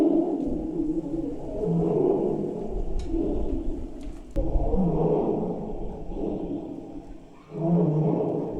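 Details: A tiger's deep, rumbling roar played through a speaker to wild boars in a test of whether the sound repels them; it rises and falls in long throaty swells, and the boars freeze and some flee toward the mountain.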